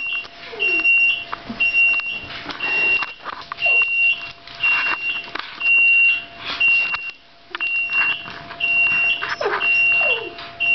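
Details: Whining from Sushi, a two-year-old Shiba Inu reacting to an oven alarm indoors. Brief descending cries recur irregularly beneath a repeating high-pitched electronic beep, with some household noise.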